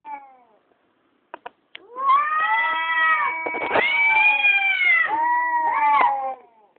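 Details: Two cats fighting at night during the lunar eclipse of June 16, 2011, recorded on a mobile phone: a few faint clicks, then one long, loud, wavering yowl rising and falling in pitch for about four seconds.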